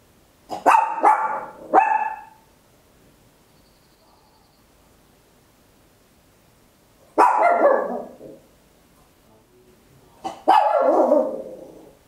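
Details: Tiny Papillon dog barking very loud at home, stereo handheld recorder: a quick burst of three yappy barks, then two longer harsh barks several seconds later.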